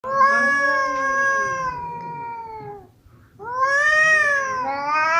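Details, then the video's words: Male cats fighting: two long, drawn-out harmonic yowls, the first slowly falling over nearly three seconds, then a brief hush before a second rising-and-falling wail that bends upward at the end. "The sound of male cats fighting"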